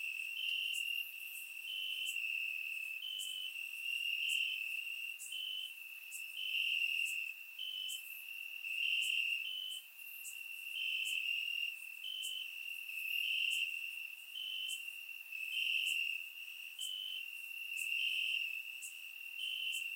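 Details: Crickets in the grass on a warm summer night in Bulgaria, recorded with a surround microphone; a dense, steady high chirping drone with rhythmic pulsing and many short bright ticks repeating throughout twenty seconds.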